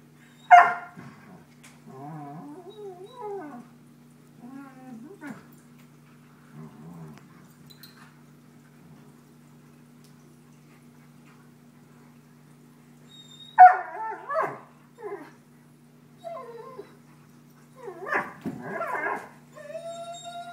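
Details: Two Airedale Terriers, Jetta and Ella, playing rough and baring fangs: harsh, raspy snarling bursts early on, quieter grumbling runs for several seconds, a pause, then loud clustered snarls near the end over a steady low indoor hum.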